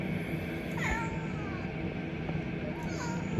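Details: Pet domestic cat described as giving a yelping, squealing cry; two short, thin meows rise then slide downward, one near the start and one near the end, over a steady low hum and soft background music.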